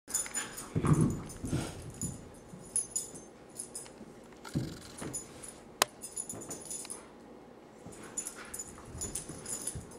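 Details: Kiva, a three-year-old pure white female husky, at home getting a bag of her favorite tennis balls; short whiny vocal bursts rise early, then scattered quieter whimpers and a sharp click amid room noise.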